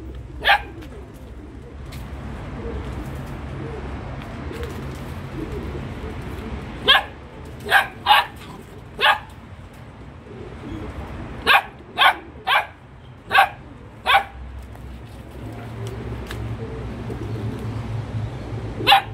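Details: Belgian Malinois barking in scattered bursts: a lone bark, then clusters of three or four quick sharp barks separated by quieter stretches of low rumbling background noise.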